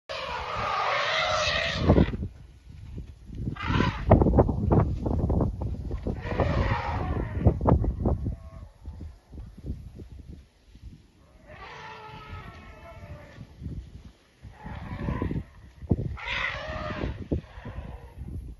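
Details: Elephants running about give loud, harsh trumpeting blasts, repeated in bursts between low rumbling thuds.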